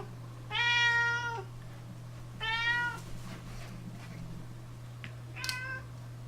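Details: Domestic cat yowling while being given hairball medicine indoors: two loud, long harmonic meows about two seconds apart, then a shorter, higher cry near the end, over a steady low electrical hum.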